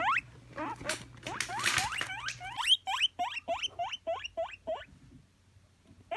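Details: Pet guinea pig wheek call: a rustling, noisy start over a low hum, then clear rising squeaks repeated rapidly in a regular train before fading out.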